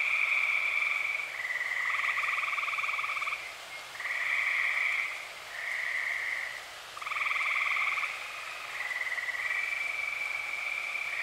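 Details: Dozens of tree frogs in Eastern Pennsylvania on an early-summer night call in a dense chorus of high, rattling trills, rising and falling in overlapping waves a few seconds long with almost no silence between them.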